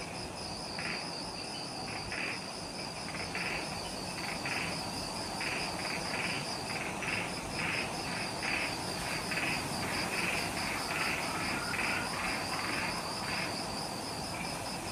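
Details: Forest insects on Ishigaki Island, Okinawa, Japan, recorded at twilight right after sunset; a high pulsing trill runs continuously while a louder chirping caller repeats short bursts about twice per second, over a hissing chorus and low rumble.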